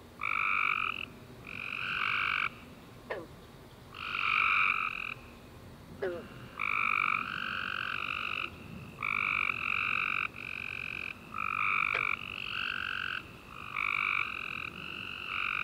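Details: Chorus of tree frogs on a summer night after warm rain: steady run of buzzy trilled bursts, roughly one every second, overlapping callers with few pauses, occasional sharp clicks in between.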